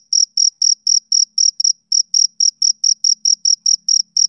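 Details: Close, loud chirps of a male cricket on a summer evening, high clipped pulses about four per second with one slightly irregular beat, and a faint low hum underneath.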